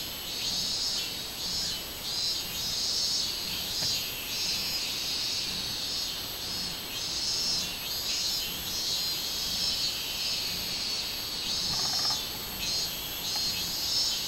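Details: Robust cicada, or minminzemi, recorded 24 July 2016: a piercing high buzz broken into regular throbbing pulses, about two per second, continuing steadily. A faint tonal chirp appears near the twelfth second.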